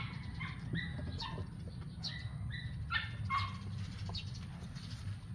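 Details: Playful eight-week-old kittens, once strays and now adopted, in a backyard, give brief squeaky mews in uneven bursts, several close together, above a constant low background hum.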